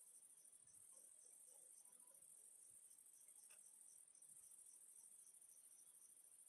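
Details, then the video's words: Crickets chirping in a steady high-pitched trill, heard as a relaxing sleep soundscape; faint, rapid pulses repeat many times per second under a continuous shrill hiss, with very little else audible. "Sounds of crickets chirping"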